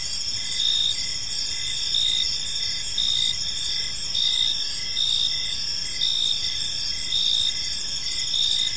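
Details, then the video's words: Crickets chirping in a peaceful park as evening unfolds, a steady high-pitched trilling chorus with pulses swelling roughly once a second over a faint low background hum. "Cricket Sounds in a Peaceful Park"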